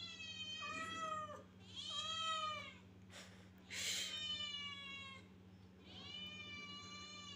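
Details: Kittens meowing in long, high, level wails, four calls with a short rustle or scratching noise between the second and third, over a faint background hum.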